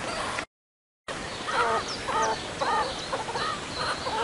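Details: Meerkat triplets born on 24 January at Liberec Zoo, Czech Republic, on their first trip outdoors in chilly weather; a run of short arched chirping calls repeated about twice a second after a brief gap, with fainter high chirps behind.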